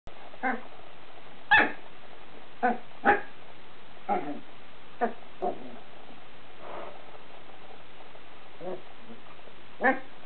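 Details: Corgi puppy giving its first barks, aimed at a printer cord: about ten short, sharp barks come at uneven intervals over ten seconds, with quiet pauses between them.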